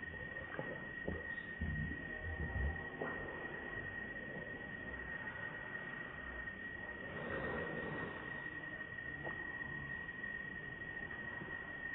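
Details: Constant high-pitched electrical hum over low rumbling noise and a few soft knocks, with no animal voice heard.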